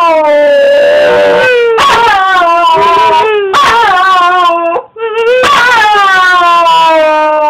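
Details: A Wire Fox Terrier, excited to see its owner come home for the weekend, "sings" in long, wavering, sliding howls, each ending in a downward slur, while a person repeats "I love you".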